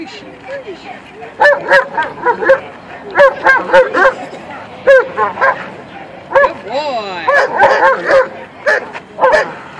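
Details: German Shepherd named Amigo barking during attack training, in which he learns to attack only on command: bursts of loud, sharp barks in uneven runs of three to five, with a man's voice and brief commands in between.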